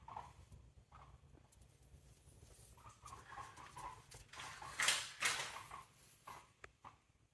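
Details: Female pet guinea pig making squeaky sounds while walking, a habit she always has; soft short squeaks in irregular runs, with a couple of louder broadband rustling bursts midway.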